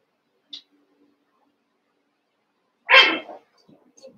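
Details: Cavalier King Charles Spaniel puppies, Daisy's litter of six merged with Robin's two pups to make eight, playing together; a brief high squeak, then one loud, harsh, noisy bark-like yelp followed by soft trailing whimpers.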